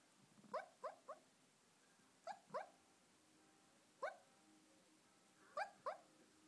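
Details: A dreaming female Shih Tzu lying on a sofa lets out thin, nasal squeaks, each a quick rising-and-falling yip, in loose clusters of one to three separated by pauses, in a quiet room.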